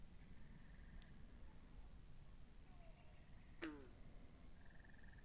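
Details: Frogs at a pond recorded binaurally: faint pulsed trills at the start and end, one strong abrupt downward-sweeping call, and a soft low drone throughout.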